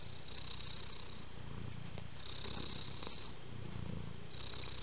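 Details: Continuous low purring of a cat, the deep rumble swelling and easing in slow breathing cycles while a faint breathy hiss alternates with it.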